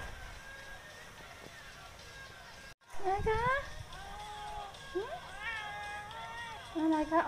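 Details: Sky the cat, being affectionate and seeking attention, starts meowing after a brief quiet spell. Several bending, whining cries run close together over faint background hiss, ending on a louder low meow.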